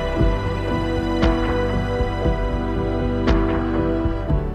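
Soft, steady instrumental music with sustained low tones and occasional percussive accents; no animal voices.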